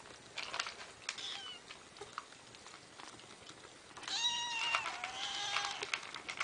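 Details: Cat meowing indoors: after soft rustling and a faint high squeak, two drawn-out meows run together near the end, the first rising and levelling off, the second longer and sliding slightly downward.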